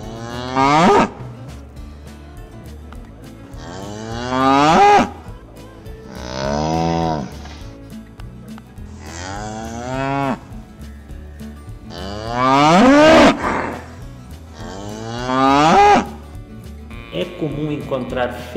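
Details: Cattle at a cattle fair and auction, oxen, cows and calves: about six loud, rich moos, some rising then falling, one every two to three seconds, with steady background music throughout.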